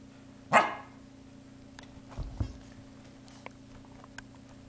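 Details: Pembroke Welsh Corgi playing with a soft soccer ball gives one sharp, bright bark, followed by soft thuds and a few quiet knocks in a room.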